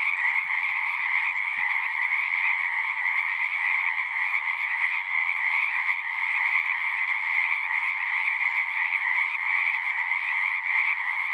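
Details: Frogs singing at a pond in a horse pasture, a dense continuous chorus of many overlapping trilling voices forming a steady bright band, with a lower band beneath, unbroken for the whole stretch, no other sounds.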